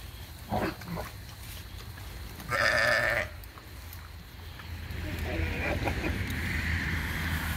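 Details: Sheep given weeds to eat lets out a single loud, wavering, harmonic bleat lasting under a second, preceded by a short fainter sound and followed by steady rustling and breezy background noise.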